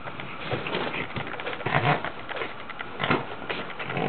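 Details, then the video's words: Indoors, the Boston Terrier Ax, a female, plays with her bed like a toy: rough snuffling grunts come in bursts about once a second over the scratch and rustle of fabric. "Ax, the bostonterrier playing in her bed."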